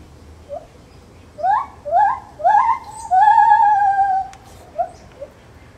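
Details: Zoo-held Lar gibbon producing a run of short rising hoots that speed up into one long sustained whistled note, then trail off with two softer notes.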